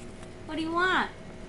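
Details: Mackie, a male Boston Terrier, 'talks' while begging for macaroni and cheese after a meal: a single drawn-out whine-like tone held steady, then sliding upward and dropping away, about half a second long, in a quiet indoor room.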